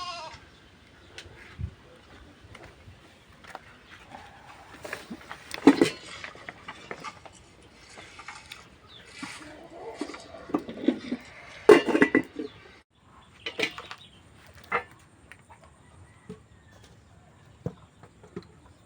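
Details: Bleating from goats taken to graze near cultivated farmland, with scattered harmonic bleats of irregular spacing, the strongest in the middle stretch, over light background rustle and occasional faint voices.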